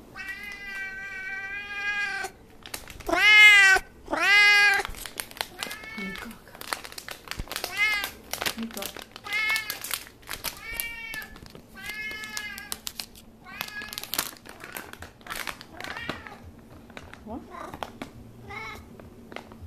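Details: An F6 Savannah cat, coaxed to meow and offered treats, gives a run of loud, harmonic meows, some rising and falling, about one a second.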